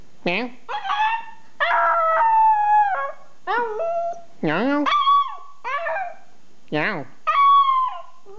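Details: Pet dog Louie trading howls with a person: rapid alternation of short swooping human noises and brief tonal howls, with several held notes of about a second, over eight seconds of lively back-and-forth.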